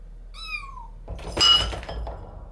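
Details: During the first-day meeting of a resident cat and a new kitten, which threatened each other, one short falling meow sounds. A loud thump and a scuffling knock follow it.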